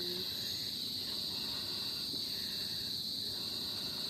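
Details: Insects calling in a mangrove, heard from a bridge: a steady, unbroken high shrill drone with a fainter even higher band above it, continuous throughout with no pauses.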